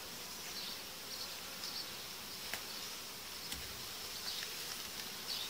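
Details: Buzzing honey bees inside a hive during colony uniting, with the dividing diaphragms removed after about five days; a constant airy drone broken by a few sharp clicks and knocks from handling.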